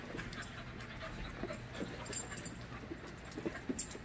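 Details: Five-month-old puppies romping together in a play group, giving low, rough grunts and short growly bursts amid steady panting, with a few sharper yips near the end over a constant low background hum.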